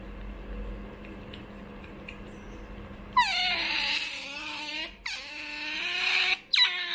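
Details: Choco, a female pet otter, begs for food indoors. After three seconds of quiet room hum, loud, high, harmonic whining wails begin. They drop in pitch at the start and are broken by two short pauses.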